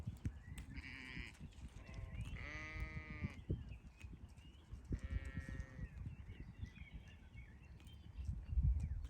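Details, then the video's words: Sheep on a farm giving a short high bleat, then a louder long quavering bleat, and a third drawn-out bleat a couple of seconds later, with low rumble and scattered clicks and thumps in the background. "Cute SHEEP 🐑 || Funny animals || sheep sound"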